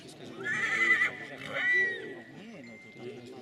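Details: Silesian stallion presented in Poland: two short, high, strained whinnies in quick succession, the second briefer, followed by a faint trailing tone while a man speaks over a loudspeaker.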